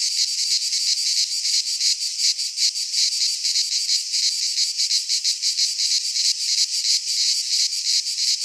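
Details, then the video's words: Cicadas singing in midsummer in a Greek pine forest: a dense, steady, high-pitched rasping buzz with rapid pulsing, about three pulses per second, no other sounds. "Cicadas singing in midsummer"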